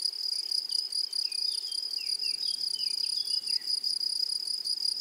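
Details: Meadow grasshoppers give a loud, continuous, piercing high trill with a fainter upper hiss, while short falling bird whistles repeat in the background over the first four seconds.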